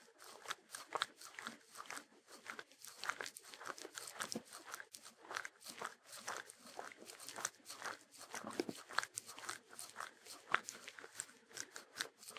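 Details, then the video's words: Sheltie, a Shetland Sheepdog, eating: busy sharp crunches and brittle crackles follow each other in quick irregular bursts, with brief lulls near the middle, no music or other sounds. "ASMR Dog Eating Sounds [No Intro\No Music\Loop] #28 Long Version Sheltie Dog (Shetland Sheepdog)"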